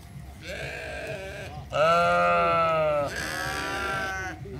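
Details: Several sheep at the Toronto Islands (Centre) Zoo bleat in turn, giving long, nasal, wavering baa calls.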